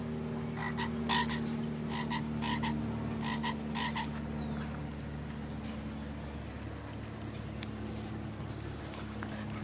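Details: Green tree frog held by a dog, Pottersville, Somerset, Massachusetts, evening of July 7, 2011, iPod touch recording: a few clipped croaks in paired bursts during the first seconds, then quiet, with soft music humming underneath throughout.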